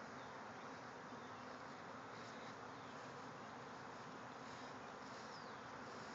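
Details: Bees swarming from a backyard hive, thousands flying over the yard. Their buzzing forms an unbroken, even drone throughout, a dense whirring hum with faint higher whines from single bees passing close.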